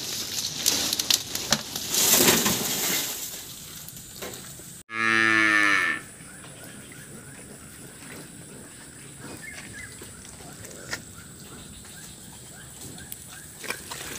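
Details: Cattle in a shed still muddy from floodwater left by a flood, one brief loud moo of about a second with strong harmonic stacks, set amid scraping, sloshing and hiss from cleaning the mud.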